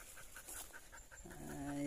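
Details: Belgian Malinois named Kali, described as tired partway up a steep mountain hiking trail, breathing in quick rhythmic puffs, then a short tonal whine-like note with layered harmonics near the end.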